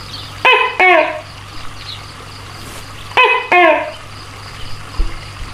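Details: Giant tokay gecko giving two paired calls about three seconds apart, each a sharp harmonic note followed by a slightly lower, falling second note, with a faint background hum.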